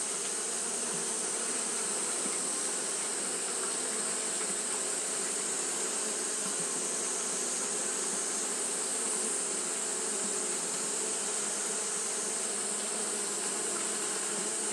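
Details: On a hot day, Japanese honey bees keep up their fanning behaviour. The result is a continuous low buzzing drone, even and unchanging, with a steady sizzling high band running over it throughout.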